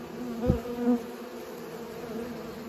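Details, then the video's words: Bees pollinating: a close bee buzzes loudly in a brief burst, then a second short rising buzz, over a quieter continuous hum of others. "Bees pollinate"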